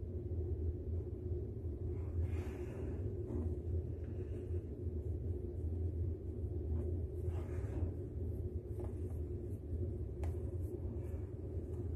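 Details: A steady low rumble fills the room, with faint muffled bumps and no animal voice.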